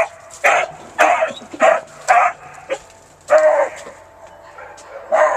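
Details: Baying Beagle Romeo Scott, kept as a pet: four rapid, hoarse bays about half a second apart, a brief pause, then two more throaty bursts. Calls are loud and close, with a quiet room behind them.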